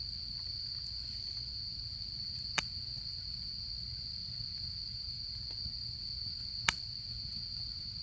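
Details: Autumn insects singing beside a campfire at a camp: an unbroken, steady high-pitched trill runs through the whole recording, with two sharp fire pops and a soft low rumble underneath.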